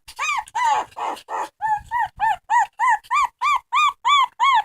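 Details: Dog crying with a few rough opening wails, then a very regular train of arched, tonal whines, roughly three per second, evenly spaced and strong.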